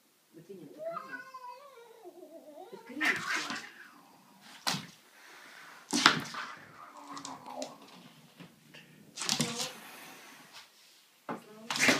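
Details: Cat attacking a broom: a drawn-out, wavering yowl rising and falling at the start, followed by loud scraping and thumping bursts from the struggle and scattered low murmurs in a small room.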